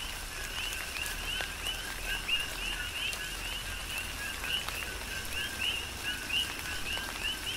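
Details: Many coqui frogs calling together in tropical rain on Hawaii's Big Island, each giving a low note followed by a higher upswept chirp, with calls overlapping continuously above a steady hiss of falling rain.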